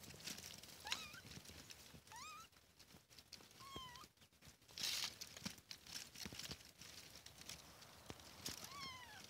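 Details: Kittens mewing outdoors, thin high arched cries around a second long, about five spread through the clip, with faint tapping and rustling in the background.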